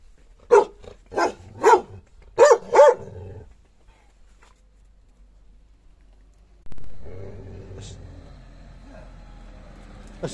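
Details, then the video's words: Dog barking at its own reflection in a mirror: five sharp, loud barks in quick succession over the first three seconds, then quiet followed by a low background rumble and a faint clatter. "the dog vs mirror الكلب و المرآة"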